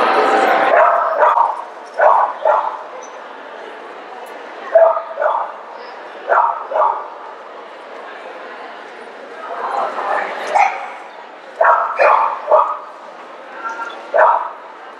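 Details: Italian Greyhound giving sharp, high yips, mostly in quick doublets, repeated every second or two over a faint steady background.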